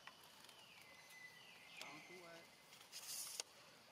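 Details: Rainbow, a lonely, hungry young monkey searching for its family, gives long drawn-out whistled cries that glide from high to slightly lower pitch and hold steady, two calls in quick succession, with faint rustling and clicks nearby.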